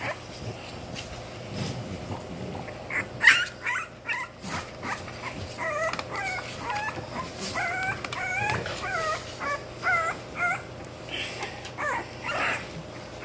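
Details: Twenty-day-old English Bulldog puppies from one litter make a run of short, high, whining squeaks and yips, many overlapping in quick succession, over a steady background hum with some rustling.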